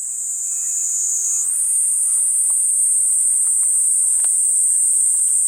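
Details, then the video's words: Platypleura kuroiwae cicada singing a continuous high, hissing drone that shifts slightly higher after about a second and a half, steady and unbroken, with faint scattered clicks beneath. "クロイワニイニイ 鳴き声"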